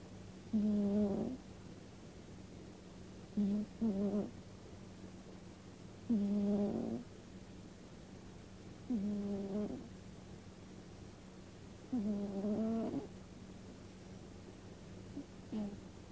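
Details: Sleeping pet cat snoring indoors: five soft, low, rasping breaths, each about a second long and spaced roughly every three seconds, over a steady electrical hum.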